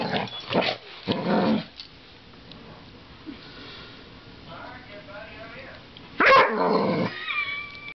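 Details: Playing American Staffordshire Terrier tussling with a coat hanger gives two quick gruff growl-barks at the start, then a quieter stretch with people talking, then a sudden loud bark-growl near the end.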